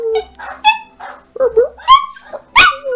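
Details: Big Coonhound and small Chihuahua trading howls and whining yips in a singing conversation, short broken cries climbing into high wavering notes, one sliding howl ending low, a person's voice faint in the background.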